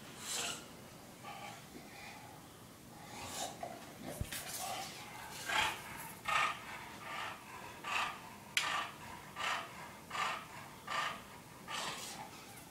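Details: English Bulldog Porkchop runs around the condo sniffing for pizza and finds something he loves; heavy snorting pants repeat steadily, roughly every three-quarters of a second, with a sharp tap or clatter partway through.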